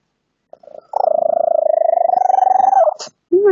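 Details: Phone recording of a female cat's strange purr, present for about five months and unexplained by her vet: one long, steady, rapidly throbbing buzz of about two seconds, slightly rising, then a brief squeak, with a person speaking nearby.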